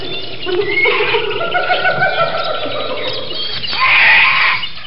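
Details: Chimpanzee (Pan troglodytes), call.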